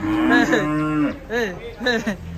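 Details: Cow acting up while coming down off a truck. A long, steady low moo is followed by two shorter arching moos with rich harmonics. Men's voices are heard between calls.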